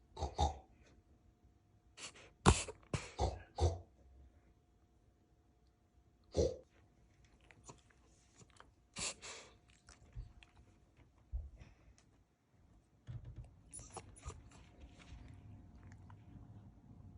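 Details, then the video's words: A pet puppy named Sugar snorting like a pig indoors: short bursts of harsh, breathy snorts in clusters, about a dozen spread out with quiet pauses between, plus faint low rustling. "My puppy snorts like a PIG! | Dog making Funny weird noises"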